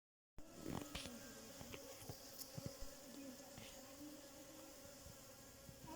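A bee's steady, low droning buzz holds on with a faint hum of overtones above it.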